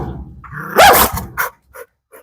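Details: Single loud, rough bark from a dog that had been kept caged for years, rising sharply and fading within half a second, followed by a few faint knocks and near silence.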